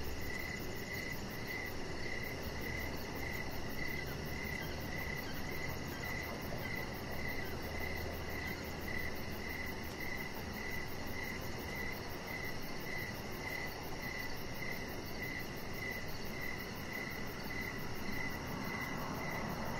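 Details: Crickets chirping outdoors in the evening beside a deck strung with decoration lights: a steady run of short, high, evenly spaced pulses, with a faint higher ticking above, over a constant low rumbling hiss.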